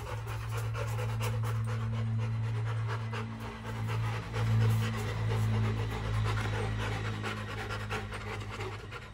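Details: Kennelled Rottweiler panting fast and rhythmically, almost four breaths a second, over a steady low droning hum.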